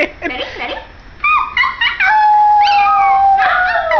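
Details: A little white male Pomeranian howls along with his human family: after brief talking, a long drawn-out howl rises and then slides slowly downward, held steady for about two seconds with wavering overtones.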